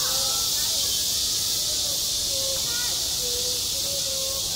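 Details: Cicadas singing on a school playground in midsummer: a dense, unbroken high-pitched buzzing wash holds steady throughout, with faint short tonal whistles and glides drifting underneath.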